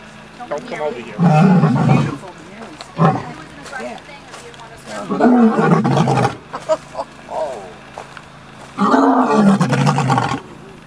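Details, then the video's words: Cameron, a lion at Big Cat Rescue in Tampa, Florida, gives deep, rasping roars in three long bursts from about 3 feet away. "Roaring Lion 3 feet away"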